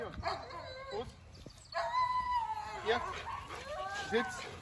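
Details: Belgian Malinois named Thor during a field training day for obedience and control; high, tonal whines with a long steady whimper in the middle, mixed with a trainer's short spoken commands.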